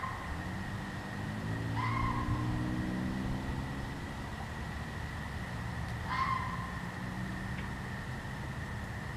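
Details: A red fox barks at night, giving two short, hoarse barks about four seconds apart over distant traffic rumble.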